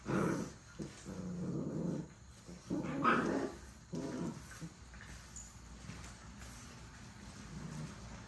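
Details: Puppies at play making short bursts of low growling, louder in the first three seconds, with quieter rumbling and shuffling after.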